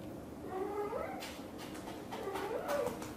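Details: British Shorthair mother cat, blue golden coat, talking to her kittens indoors; two soft, wavering chirruping meows, the first gliding up near the one-second mark, the second longer and trilled toward the end, over a low steady room hum.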